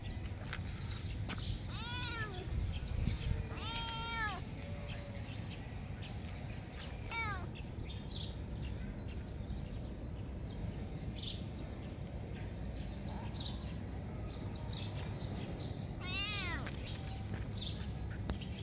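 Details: Domestic cat meowing in short, harmonic-rich mews, several within the first eight seconds and one more near the end, over steady low background rumble and scattered clicks.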